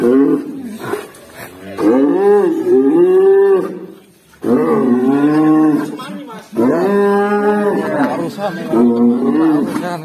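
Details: A black cow gives long, wavering moos with rich harmonics, repeated in three drawn-out bouts.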